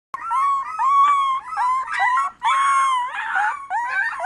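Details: Beagle howling indoors: a loud, sustained wavering bay with rich harmonics, rising and falling in long drawn notes with a brief break midway.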